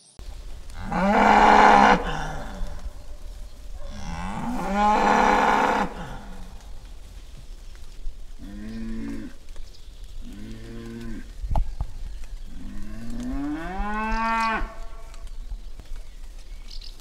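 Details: Cattle, a bull and a cow, bellowing: two long, loud, strongly harmonic moos, then two shorter, deeper lowing calls and a final moo that rises in pitch, with quiet pauses between them.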